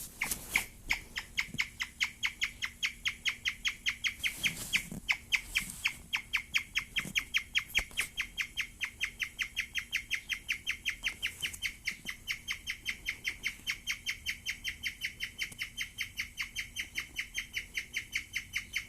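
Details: Female guinea pig, very excited during her first taste of wheatgrass, giving a long, unbroken series of short, bright, birdlike chirps, about two or three a second and evenly spaced, with a few soft knocks and rustles between them.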